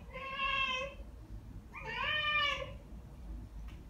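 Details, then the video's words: Ragdoll cats Ao and Aki, aged one year and nine months, answer birdsong indoors by calling back. Two drawn-out, harmonic, meow-like calls about a second apart; the second wavers and bends. A low room hum runs underneath. "고양이 채터링? Cat Chattering"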